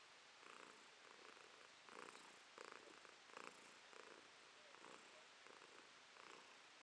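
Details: Purring from the house cat Romashka, July 2023, one paw raised as if in a ballet step; rasping purr pulses roughly every two-thirds of a second, rising and falling with her breathing in a quiet room.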